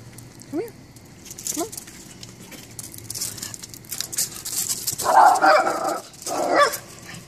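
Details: Tobi, a dog on his nightly frog patrol chasing frogs back into the pool, gives two loud, harsh barks near the end. Two short rising chirps come earlier, over a steady hiss of outdoor night noise.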